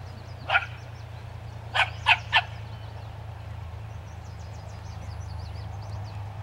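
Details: Dog barking at a skunk, one sharp bark followed after a pause by a quick run of three barks, over a steady low hum and faint high chirps.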